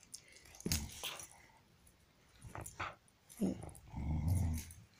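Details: Ringo, a dog, plays with a new toy shaped like a raccoon's butt from Japan; low rumbling growl swells near the end after short, scuffling bursts, with a woman talking fondly over the play.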